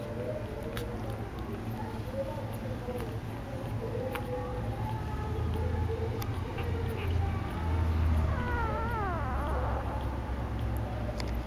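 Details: Whippet puppies three days old: thin, wavering squeaks run throughout, with a few rapid downward-slurred cries near the end, all over heavy low rumbling background noise.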